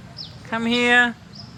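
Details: Black and white stray neighbourhood cat outdoors giving a single steady, nasal meow about half a second long, amid a person calling to it in Khmer and English.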